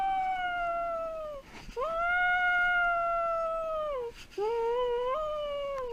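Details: Pet dog left alone as its owner goes out, giving long, sustained, mid-pitched howls with a rich harmonic tone, three drawn-out notes that sag slightly at their ends, separated by brief breaths.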